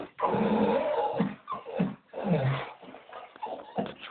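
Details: Staffordshire Bull Terrier eager for a walk, a Doberman chiming in: a drawn-out, rumbling growl-moan, then shorter grumbling whines, rough-voiced with a low, gravelly tone throughout.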